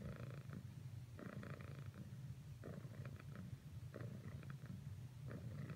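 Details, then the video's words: Cricket, a pet cat, purrs persistently as she keeps trying to cuddle up to Whisper; a continuous deep rumbling purr with the rhythmic breathing cycle audible, broken by occasional light rustles. "Cricket's last few attempts at cuddling with Whisper failed. Nevertheless, she purrsisted."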